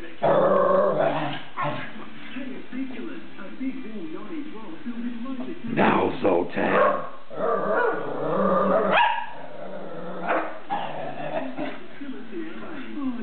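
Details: A pet whippet taunting another whippet with a run of varied, yowling, talking-like vocal sounds. The sounds come in uneven bursts, with sharper yips around the middle. A person's voice is heard mixed in with the dog.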